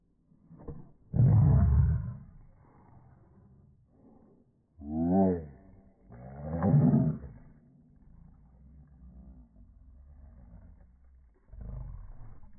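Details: Two or more Boston Terriers, including a mother, mouth-wrestling over a ball; a series of guttural growls, some rising into tonal snarling whines, come in bursts a few seconds apart with low rumbling between.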